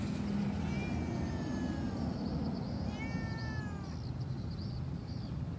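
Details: Discarded pet cat abandoned on a roadside without food, uttering two short descending meows in the first half, then quiet, under constant low rumble and a faint high hiss.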